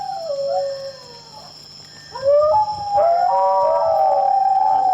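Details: Taped howls of captive New Guinea singing dogs played outdoors to draw a reply from wild dogs up a ridge; sliding, wavering tonal howls, softer at first, then a louder chorus of overlapping voices after two seconds, over a constant high hum.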